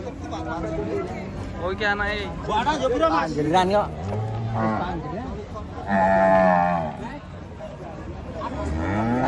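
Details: Cattle coming down from a truck give several short, uneven moos, and a stronger moo sounds near the end. Chatter and voices overlap much of the calling.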